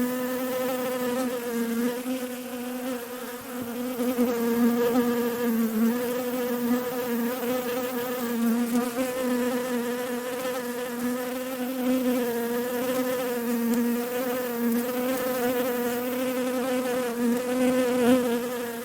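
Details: Western honey bee (Apis mellifera) wing buzz: a steady, low buzzing hum, rich in overtones, wavering gently in pitch and loudness as bees fly around flowers.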